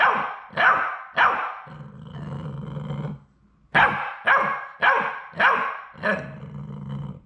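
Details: Young Labrador Retriever puppies, the final three of a litter, on their last day before going home; bursts of high, sharp barks broken by a low rumbling growl between the volleys.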